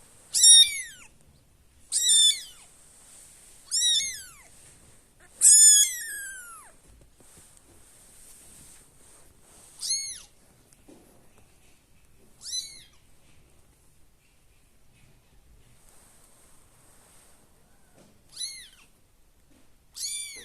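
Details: Kitten, one of a litter of five, calling while searching for its siblings: high, thin mews that slide downward, given in a series roughly every two seconds, then more spaced out, with quiet pauses between.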